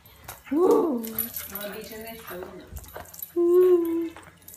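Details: American Cocker Spaniel during ball play, one bending whine followed by softer murmurs and a steady, level whimper near the end, with quiet Italian speech.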